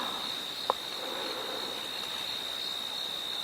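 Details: Insects, cicadas among them, on a hot, calm evening during a sunset safari on 25 December 2021. A constant, even, high-pitched hum runs unbroken throughout, with one brief click near the start and no other sounds in a very quiet setting.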